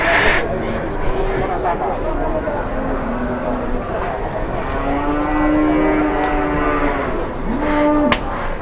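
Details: Large cow at a market in Indonesia, a little agitated during bargaining, gives several long, level lowing moos, the last one short and rising, amid chatter and background noise.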